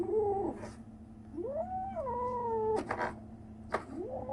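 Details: Kitten aged 37 days producing odd sounds: a short falling meow, then a long bent cry that climbs, holds and drops, followed by a rising squeak, with scratchy tapping noises in between.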